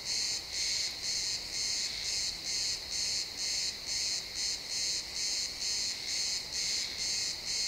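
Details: Chirping crickets in pine woods at sunset, recorded in XY stereo: regular high trilled chirps, about two each second, evenly spaced with short gaps, no other clear sounds.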